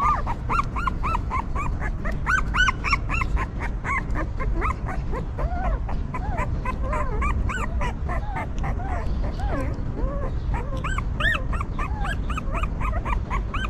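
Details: Several newborn puppies of a stray mother dog crying together: dense, overlapping high arched whimpers, some dropping into lower falling whines midway, continuing over a constant low rumble.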